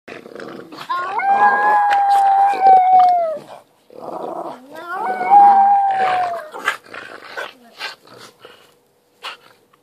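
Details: Chinese Crested dog howling like a tiny wolf: two rising-then-falling howls, each about two seconds long, a wavering tone with harmonics, followed by softer whines and snuffling.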